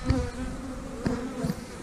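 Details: Honey bees in an opened hive with bees crowded up top in the boxes: a steady low hum with a droning tone, broken by a few sharp knocks from handling the hive.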